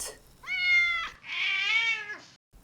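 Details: Two drawn-out meows from a domestic cat, the first steady and level, the second longer and sliding downward at its close, with a brief pause between them and nothing else audible.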